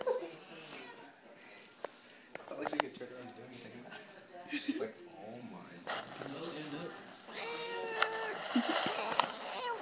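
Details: Madeline the house cat, unhappy about being petted, lets out short and longer complaining meows amid steady human speech and rustling; a louder run of wavering, harmonic meows comes near the end.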